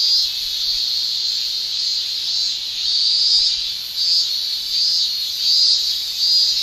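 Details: Cicada song in summer in Japan, a continuous piercing high whine rising and falling in waves roughly every second, somewhat uneven in rhythm.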